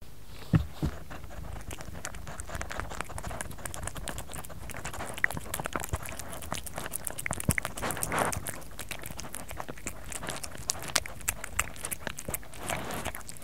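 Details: Kerry, a pet cat, eating indoors: dense crunchy chewing and soft biting clicks repeated steadily throughout, with quiet patter and no other clear sounds.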